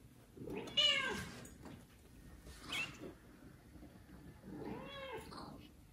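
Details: Domestic kitten, one of four from a mother cat that neglects them, meowing loudly to call its mother before another cat takes it; two drawn-out, arching, harmonic-rich meows about four seconds apart, with a fainter cry between.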